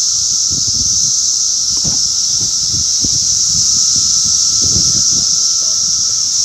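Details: Periodical cicadas of the 2021 Brood X 17-year emergence in the mid-Atlantic region, between Maryland and New York, fill the air with a continuous, high, hissing drone over a fainter steady whine.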